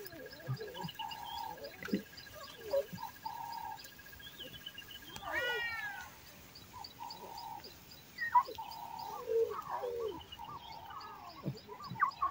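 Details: Lion cub and its mother in Kruger National Park calling for the cub's playful siblings hidden in the bushes; short, even, moaning calls repeated every second or so, with birds chirping and twittering behind.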